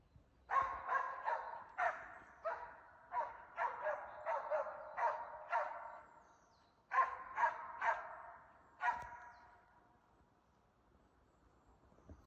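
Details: Swedish Elkhound (gråhund) hunting moose in Halna, Sweden, in mid-February, holding a cow and calf at bay; rapid series of sharp barks, about two per second, in bursts with short pauses, then quiet after nine seconds.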